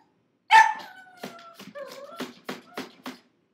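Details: Six-month-old pug puppy Gizmo protesting confinement in a crate after five minutes: one loud yelp sliding into a long wavering whine, then a string of short choppy cries and snuffles.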